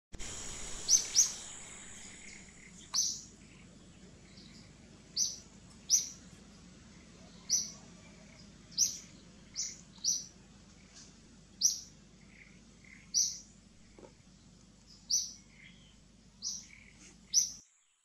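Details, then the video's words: Baby monkey crying to call its mother: short, very high-pitched squealing cries repeated about every one and a half seconds, roughly eleven in all, over a steady low hum. "BB MONKEY CRYING SEIZURES TO CALL MOM"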